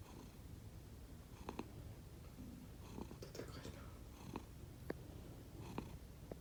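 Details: Low droning snore from two rescued pet cats, Konbu and Myun, dozing indoors, distinct from ordinary purring; faint clicks and breathy bursts punctuate the steady rumble, with a brief soft murmur midway.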